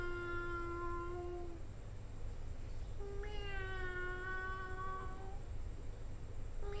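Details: Cat making repeated long, moaning meows, each lasting about one and a half to two seconds, slightly rising then falling, with pauses between; steady low rumbling hum and a thin high-pitched whine throughout.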